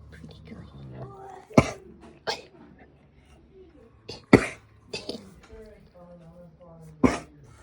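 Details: A young, curious foal at an Amish farm gives five short, harsh, breathy coughs at uneven intervals, with a chicken chorus in the background and a woman speaking softly in between.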